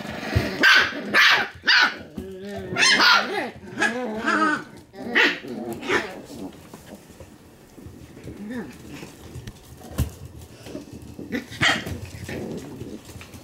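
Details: Shiba Inu puppies play-fighting, trading rough growls and short barks in bursts, some harmonic yelping rising and falling, with human speech mixed in between outbursts.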